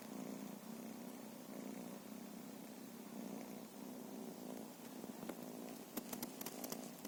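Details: Feral cats purring: a steady low rumbling drone with a faint pulsing texture runs throughout, and sharp clicks and taps come near the end.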